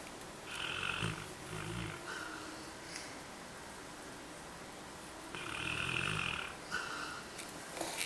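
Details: A napping Labrador Retriever, recorded 3 March 2012; two raspy, rumbling snores come about five seconds apart, each lasting over a second, with quiet breathing between them.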